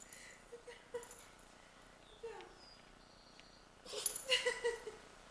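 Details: Pet dog, a female, sneezing repeatedly in a bout lasting nearly half an hour; quiet stretch with faint soft sounds, then a loud cluster of explosive, hissing sneezes near the end.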